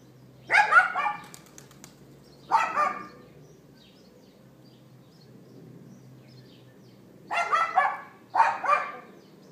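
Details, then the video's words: Yapping neighbour's dog recorded by iPhone 4S late morning, April 18th 2012: short harsh barks in pairs and singles, separated by gaps of a few seconds, with a faint low hum underneath. "Dog Yapping"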